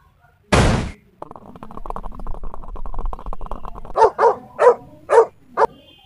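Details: Dachshund trapped on a football field, giving five sharp, harmonic barks in quick succession near the end. Before them come a loud thump and a steady humming tonal backdrop like music.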